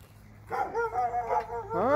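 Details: One of two dogs in Alabama gives a drawn-out, wavering tonal cry after half a second of quiet. The cry bends up and down for over a second, and a rising yelp follows at the end.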